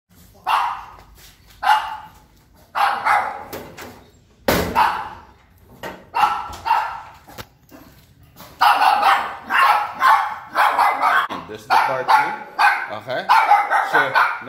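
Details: Yorkshire Terrier, described as very unsure, barking indoors at people entering its territory: single sharp yappy barks about a second apart at first, then quicker, denser bursts of barking toward the end.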